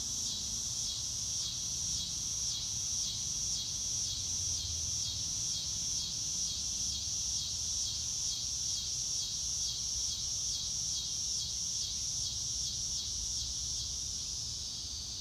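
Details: Crickets outside on a sunny day chirping in clear, evenly spaced high pulses, roughly two per second, merging into a continuous bright chorus over a quiet low background hum.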